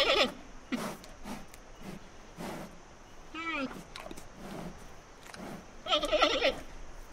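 Giant panda giving a string of short, nasal, goat-like bleats, one with a wavering tone midway and a louder bleat near the end.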